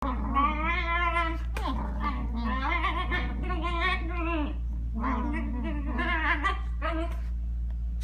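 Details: Shiba Inu playing on a bed indoors with a Newfoundland puppy, very vocal during play: long, wavering, whining yowls that run almost nonstop for eight seconds over a steady low hum.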